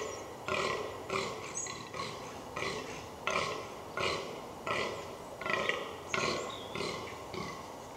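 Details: Fallow deer groaning during the rut in the New Forest woodland, Hampshire, England: about eleven deep, rasping belches in eight seconds, given in a steady, fairly regular rhythm.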